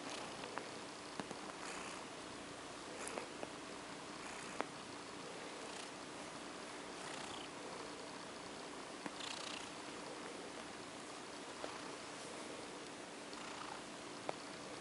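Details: Purring from OCD Cat, a female house cat, while being stroked to sleep: an even, continuous hiss-like rumble with gentle rising pulses and a few small clicks scattered through.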